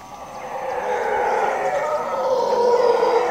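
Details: Howler monkey troop calling at dawn, around 5:30 am, in jungle at the edge of Zancudo, Costa Rica; a continuous, rising wall of deep overlapping howls growing louder toward the end.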